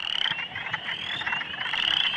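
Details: Male western chorus frogs call in a spring vernal pond, throats puffed, a dense, pulsing trill of rapid clicky notes, high and continuous.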